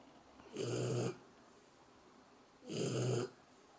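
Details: A dog snores in its sleep, two hoarse, rumbling inhalations about two seconds apart with quiet pauses between.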